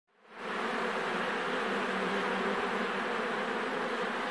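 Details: Thousands of Western honey bees (Apis mellifera) buzz together in a dense, steady hum that swells in quickly and holds level.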